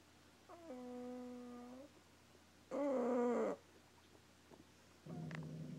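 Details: A sleeping dog snoring, with a sound likened to a fart: drawn-out buzzy, tonal breaths, three over about six seconds. The second is the loudest and the last is rougher and noisier.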